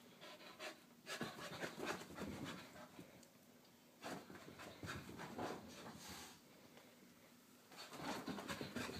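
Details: Wheaten Terrier Harley panting hard during morning exercise, quick breathy bursts at about three per second, coming in rough runs with brief pauses, over a steady background hiss.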